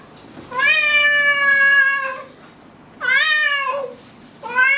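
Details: House cat uttering long, steady, fairly low meows, the first held for well over a second, then a shorter falling one, against faint room noise.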